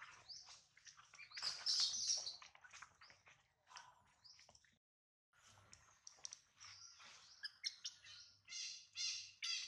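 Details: High-pitched, shrill crying from a hungry infant monkey missing its mother while held by a small monkey. Rapid squeaky cries are followed by a brief pause, then a run of short, piercing, repeated squeals.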